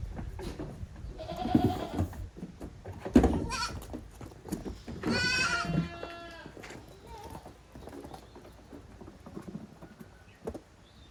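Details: Goat kids playing hard in the exercise yard of Yoshigake handmade goat farm on 30 April 2023. A short cry comes early, then one long, wavering, strongly harmonic bleat midway, amid thuds, knocks and clattering from the rough play.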